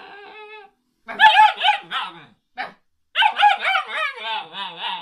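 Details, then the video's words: Alaskan Malamute puppy "talking": a short steady whine, then two runs of warbling, wavering howl-like vocal sounds with rich harmonics, rising and falling in quick swoops, separated by a brief pause. "Alaskan malamute puppy talk"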